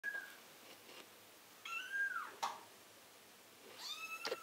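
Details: Two-week-old female British Silver Spotted Tabby kitten from cattery Fantasy Avalon giving thin high mews: a short one at the start, a longer falling mew near two seconds and another rising then wavering mew toward the end, with soft rustling clicks between.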